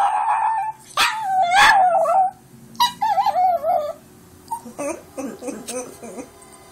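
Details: Foxy, a grandmother's pet dog, howls in long wavering tones that rise and fall, broken by short pauses, with a few sharper yelps and whimpering notes toward the end; recorded on an Android phone.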